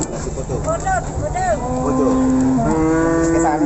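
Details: Simmental cattle at Pasar Pon market in Ambarawa, Indonesia: short rising calls from other animals, then a long drawn-out low moo in the second half, over busy market chatter and background rumble.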